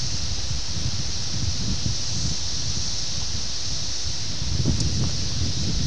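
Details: Brood X periodical cicadas, the 17-year brood, in Ayersville, Ohio on June 18, 1987, taped on VHS: an unbroken high-pitched buzzing drone, partly masked by strong low wind noise and leaf rustle.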